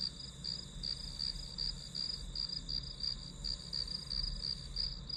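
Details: A brief run of shrill grass-insect chirps, pulsing a little under three times a second, bright and continuous with a dull rumble underneath.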